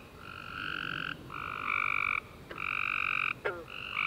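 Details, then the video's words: Night chorus of tree frogs following a rainy summer day: steady harmonic buzzy notes of about a second each, overlapping callers alternating pitch, one short sharp downward click near the end. "Tree Frog Chorus After A Warm Rainy Day"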